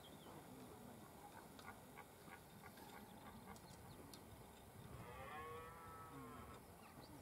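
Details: Red deer stag, one of two, during the autumn rut on RSPB Westleton Heath, Suffolk, UK, 3 October 2015 around 4pm; a single drawn-out, harmonic bellowing roar rises late in the clip over a background of faint ticking and open-air hiss.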